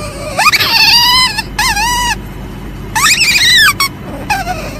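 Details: Asian palm civet calling in loud, harmonic squeals that rise and then fall, given in three bursts of about a second each with short pauses, over a steady background hiss.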